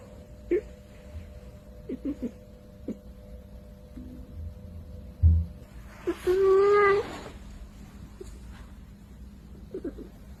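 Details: Kitten meowing: after several soft knocks and taps, a single strong, clear meow with stacked harmonics rises then levels off for nearly a second, followed by faint shuffling sounds against a steady low hum.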